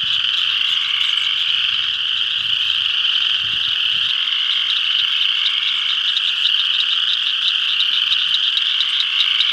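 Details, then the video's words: A dense full spring chorus of spring peepers at a pond in northeast Kansas, countless high, piercing peeps blending into one continuous shrill ringing. "Spring Peepers.avi"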